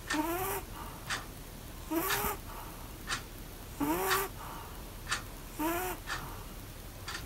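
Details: Snoring Pomeranian asleep sitting up in a bath, each breath giving a short upward-sliding whistly squeak followed by a rasping puff of air, cycling about every two seconds against low background hiss.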